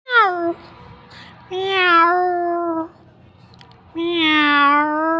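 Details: Domestic cats, a mother and her kitten, meowing: three clear harmonic meows, the first short and falling, the next two long and drawn out with a slight downward slide, separated by quiet pauses of about a second.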